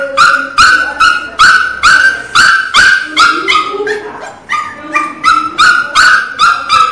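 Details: Pinscher puppy named Teco crying very loudly: sharp, high, harmonic yelps repeated steadily about two and a half times per second, each a short bright cry with slightly falling tails, no other sounds.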